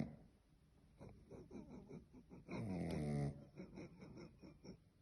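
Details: Sleeping dog breathing with soft snuffles, then one loud, buzzing snore lasting under a second before it settles back into quiet breaths.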